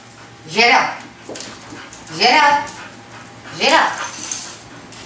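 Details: A five-and-a-half-month-old female Labrador puppy being trained as a service dog whines three times, each cry a rising, drawn-out harmonic call about one and a half seconds apart, indoors during obedience training.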